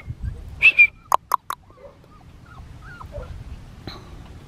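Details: Black tri male Australian Shepherd puppy from a breeder in Oklahoma gives a short, high whimper that bends slightly downward, followed by a few sharp clicks or taps and a faint low background hum.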